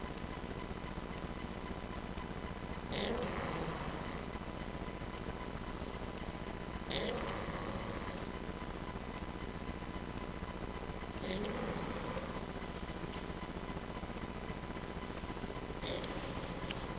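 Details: Pugsly, a pet dog asleep for about an hour and sleeping like a human, snores steadily; soft, rasping breathy snores come roughly every four seconds over a constant low background hiss.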